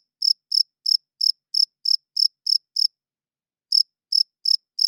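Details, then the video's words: Loud nocturnal cricket chirping, crisp high pulses about three per second, then a near one-second break before the chirps resume; nothing else audible. "40 Minutes of Cricket Chirping Sounds - Cricket klinkt 's nachts luid"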